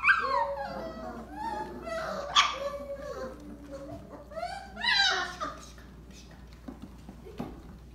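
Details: Several Belgian Malinois puppies whimpering and squealing together, overlapping short rising and falling cries with a few louder yelps, and faint human voices underneath.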